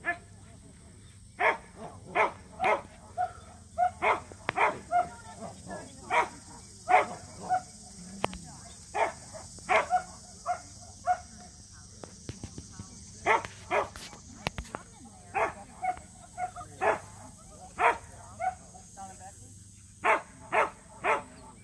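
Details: Samoyeds Mozart and Zuko at a local match show, their first ever: a long run of sharp, short barks, roughly thirty over twenty seconds, coming in bursts with brief pauses, over a low steady hum.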